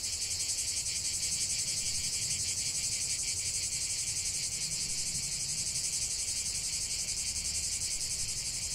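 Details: A chorus of cicadas in nature sends up a continuous shrill, hissing buzz with a fast rapid throb, about three beats a second, running evenly from start to finish over a quiet low background.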